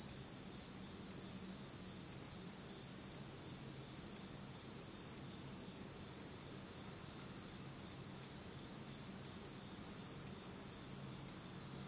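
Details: Insects singing in pitch-black darkness on an autumn night in Japan, one continuous shrill ringing trill holding an even pitch, with a faint upper overtone and quiet background hiss.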